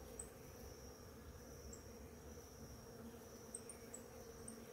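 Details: Bees crowd a flowering ora-pro-nobis in the morning, and their swarm gives a soft, even drone. Thin high chirps come in brief bursts over the hum.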